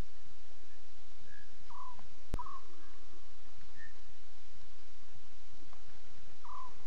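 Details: Lion cubs talking in the early hours at 02:40 CAT on 5 October 2016, during a Safari Live night broadcast: short mewing calls near the same pitch, about five scattered over seven seconds, against steady hiss and a single sharp click.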